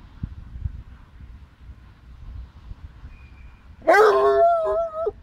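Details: Basset Hound howling while playing with a Boxer dog; after quiet rumbling, a sudden loud, wavering, tonal howl with rich harmonics lasting just over a second.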